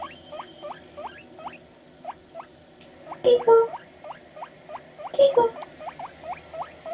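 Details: Panda, a pet guinea pig, reacting to played media with evenly spaced squeaky chirps, each a short rising hook, about four per second, interrupted twice by louder broad bursts of handling or movement noise.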